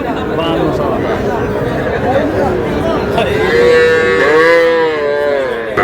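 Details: Sahiwal cattle, young bull and heifer calves bought by a farmer from Shariatpur, Bangladesh, on 11 August: scattered short lows, then one long, steady, resonant moo, with a busy hum of voices behind.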